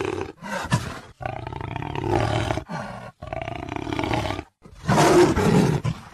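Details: A jaguar's deep, hoarse roars come in several drawn-out rasping bursts of about a second each, separated by brief pauses, with rough grating tones throughout.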